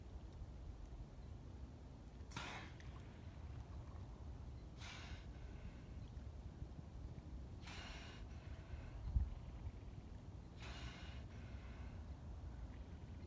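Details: Sea lion recorded on 4 October 2018, breathing in four loud broadband exhalations about every three seconds, snorting bursts over a steady low rumble of background noise.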